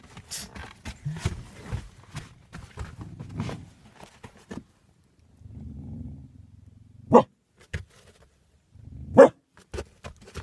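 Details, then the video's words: Porter, a laid-back dog that rarely barks, barking outdoors at Coco, an off-leash dog running ahead of her owner across neighbours' lawns; two sharp single barks about two seconds apart, with footsteps, rustling and low background rumble between. "One of the few times Porter is barking"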